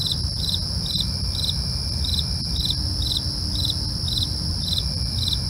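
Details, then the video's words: Crickets at night, a real recording: short pulsed chirps repeat steadily about twice per second over a continuous high, thin trill, with a low steady rumble underneath. "night crickets asmr for you, can't sleep? try to relax with our real sound"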